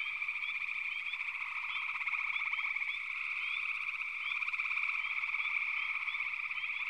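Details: Frog chorus with a constant mid-pitched wash of rapid trilling and frequent brief rising chirps above it, the whole chorus growing a little louder after a few seconds.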